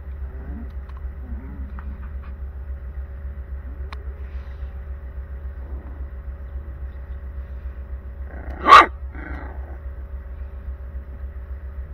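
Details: Daniu, a stray rural mother dog, tends her newborn puppies in a small iron box, filmed on a GoPro HERO 9 Black; one short sharp bark near the end over steady low hum, with faint squeaks early on.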